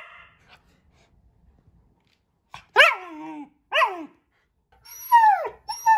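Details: Pet German Shepherd making talkative, funny vocal sounds indoors: a series of short whining yelps, each sliding downward in pitch, with pauses of about a second between them, the last two higher and squeakier.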